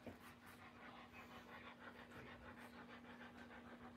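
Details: Doberman Pinscher while its puppies are born in 2021, fast shallow panting at around three breaths per second, steady and breathy throughout, a continuous low hum underneath and a short spoken word just before.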